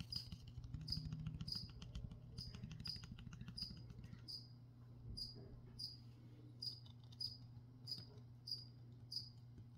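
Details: High, clipped cricket chirps repeat almost evenly during plant spraying, about fifteen in all. Rustling and crackling handling noises fill the first half, and a low hum runs throughout.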